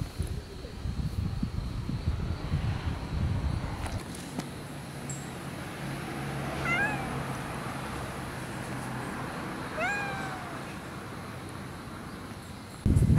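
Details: After a typhoon in early October 2014, a cat gives two clear meows a few seconds apart, each bending up then down in pitch, over a low steady outdoor rumble and faint background hiss.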